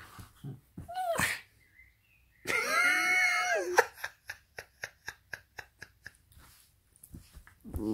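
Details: Pita, a pet dog, having fun playing indoors: a drawn-out, tonal whine of about a second that drops at its end, followed by a run of quick, evenly spaced huffs, with short bursts of Italian speech around it.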